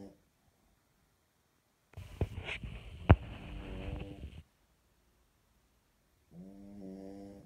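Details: French Bulldog snoring with a ball in its mouth: a harsh, rattling, low snore lasting over two seconds with a sharp click, silence, then a softer droning, nasal snore with steady tones.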